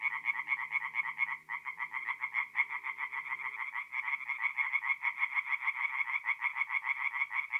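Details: Singing tree frogs at a forest pond by night, mid-April, north-east Italy, give fast, raspy pulsed croaks in a continuous stream, briefly stuttering once. A faint low hum sits underneath during the first few seconds.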